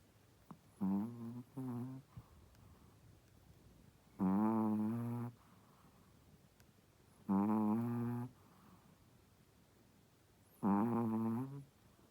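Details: A pregnant Shih Tzu, a first-time mother, snores while sleeping: loud, rattling, buzzy breaths about every three seconds, a couple of shorter snorts at the start, quiet room between breaths.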